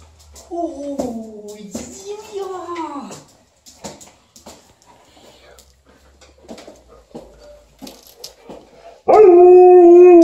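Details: Liza the Alaskan Malamute meets her owner on the stairs before walking her upstairs. A few seconds of bending, yodel-like howls come first, then a quiet stretch with soft scuffs, then a loud, steady, drawn-out howl at the end.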